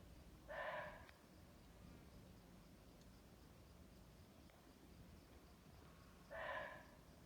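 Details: A deer, recorded live in the jungle and described as suffering, gives two short, harsh, nasal bleats several seconds apart over a low background hum.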